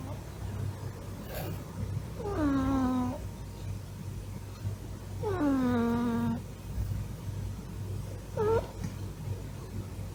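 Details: Sleeping male Norwegian Forest Cat, big and fluffy at nearly 7 kg, lying belly-up. He gives three puffing, whining snores, each gliding down from a higher start to a low drawn-out tone, then ends with a brief clipped note, over a low room hum.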